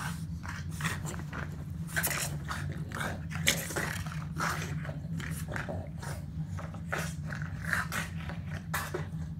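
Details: A Boston Terrier at play grumbles and snorts in quick, breathy bursts over a low, rumbling growl.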